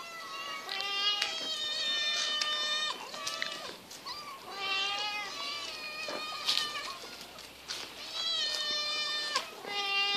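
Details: Several of eight hungry domestic cats waiting for fish meow over and over: loud, harmonic, drawn-out cries that overlap in clusters every couple of seconds, each rising then sliding down, with short pauses between bursts.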